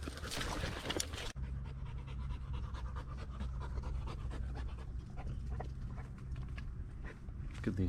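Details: Lady Shiva, an American Bulldog, panting on a 4-mile hike of the Bear Lake Loop Trail in Blackwater State Forest near Pensacola; steady low breathy rasping throughout, with a loud rustle and handling noise in the first second and brief speech.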